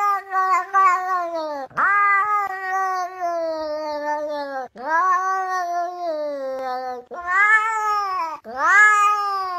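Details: Cat giving drawn-out, wavering yowls, each several seconds long, with a sharp rise at the start then a slow falling glide, repeated about five times with brief gaps.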